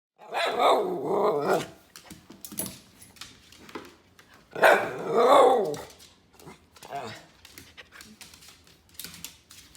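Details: Miniature red poodle Teddy Bungoo barking at home because he wants a treat; two long, loud harsh barks several seconds apart, with a human voice speaking between them and quieter sounds after.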